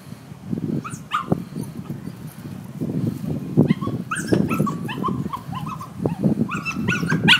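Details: Dog tied up and left outside while its people go inside, very upset, singing a woeful song of high, wavering whines and yelps in quick bursts over steady low rumbling background noise.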